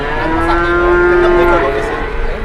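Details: Long, steady moo from cattle at an Indonesian livestock market where a reluctant cow has lain down and will not rise; the call holds one even pitch for about a second and a half, then fades into background market noise.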